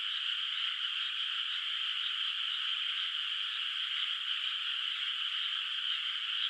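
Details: Frogs in a quiet moonlit rice field at night, before rice planting, make a thick steady chorus of quick pulsing croaks that overlap into a single droning trill.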